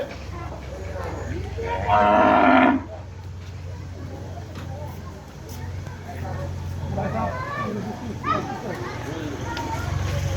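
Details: Agitated cow kept for the Eid al-Adha sacrifice, giving one loud, harsh, drawn-out moo lasting under a second near the start, followed by fainter low groans over a steady low hum and scattered background voices.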